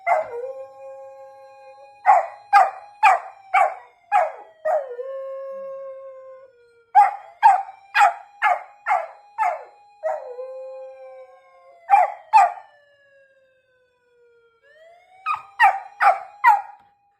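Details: Golden retriever howling in reaction to a police car siren: long drawn tones sliding slowly downward, broken every few seconds by bursts of four to six short, sharp yelping notes, with brief quiet gaps between rounds.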